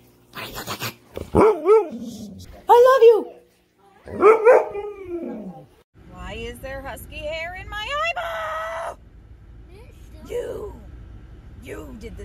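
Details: Manson the pet Siberian husky arguing indoors in husky talk: a few short, yodelling, wavering howls rising and falling, mixed with a person talking and teasing, then muffled speech and household noise.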